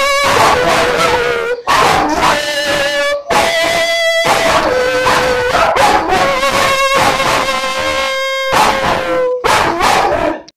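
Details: German Shepherd singing with its owner, producing long sustained howls that hold a steady tone and then slide down slightly, repeated with brief breaks, a person's voice joining in.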